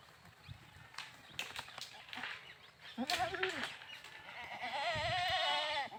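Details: Goat bleats over a noisy background of knocks and rustling, rising into a long, wavering, nasal bleat toward the end.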